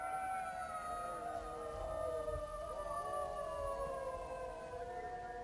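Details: Chorus of jackal wails, several voices holding long quavering tones at different pitches that bend and slide against each other over a faint low rumble.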